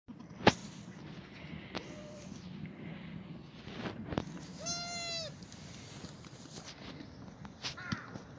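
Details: Black goats in a farm exercise yard near Gimhae, South Korea, on a foggy Friday morning, 29 March 2019; one clear nasal, wavering bleat midway and a shorter one near the end, over low rural background rumble and scattered knocks.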